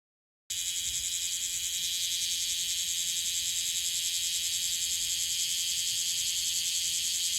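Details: Bear cicada, Cryptotympana facialis, in Okinawa, an individual that calls unusually often; a dense, loud, steady buzzing drone high in pitch with a fine rapid pulse, continuous throughout after a brief silent start.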